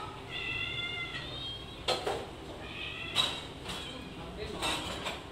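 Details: Several hungry house cats gathered in a kitchen meow loudly, each voice different; drawn-out harmonic meows with slight pitch bends, repeated about every second, over clattering dishes and cupboard noises.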